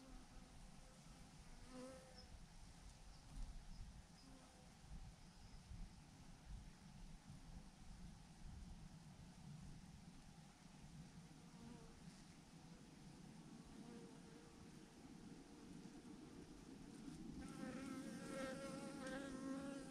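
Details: Honey bee swarm of thousands clumped on a branch: a continuous low buzzing drone that thickens and grows louder near the end as individual bees whine past.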